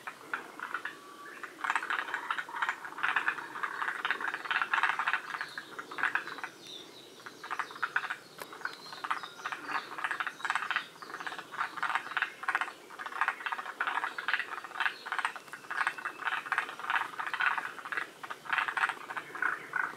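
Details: Several forest green tree frogs at Shiriya, Aomori, Japan, one of the northernmost populations, in a dense chorus of overlapping, rapid rattling croaks that pulse continuously with a brief lull near the middle.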